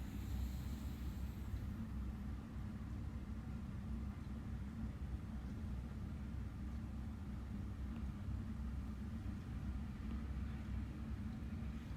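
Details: Low continuous rumble of traffic or machinery throughout, with no animal sound heard.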